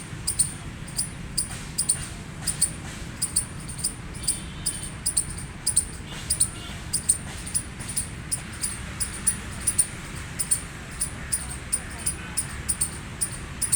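A gray squirrel gives sharp, clicky chirps, repeated about twice a second over a low rumble.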